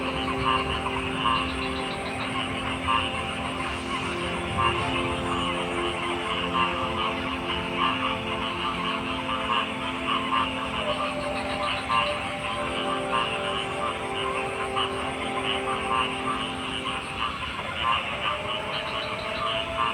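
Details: Steady frog croaking, a thick layered chorus of rapid pulsed calls over a persistent low mechanical-sounding hum, shifting slightly near the end.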